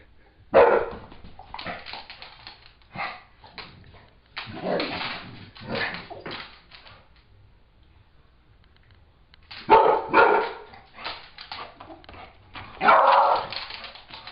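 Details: Dogs at home during a squabble after a Beagle takes a one-year-old Pit Bull's new bone: four clusters of rough, noisy barking and growl-like bursts separated by quiet gaps, with a person talking between them.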